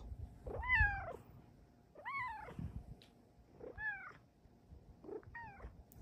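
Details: Female pet cat meowing indoors: four clear, arching meows about every one and a half seconds, each rising then falling with bright harmonics. A quiet low hum sits under the calls.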